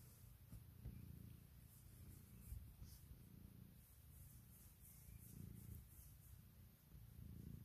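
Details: Loud, continuous low purr from Puk, a female pet cat, during a morning routine of waking her owner and seeking cuddles and kisses; a deep rumble swelling and fading roughly every second or two, recorded indoors.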